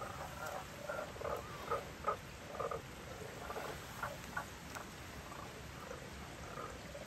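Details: Two Japanese common toads found in a valley stream in Tanabe, Wakayama, in spring as spawning begins, giving short, low clucking croaks in irregular bursts.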